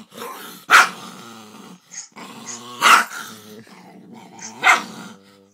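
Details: Puppy barking and growling at a big dog on a computer screen, scared; three sharp loud barks about two seconds apart, each followed by low rumbling growls.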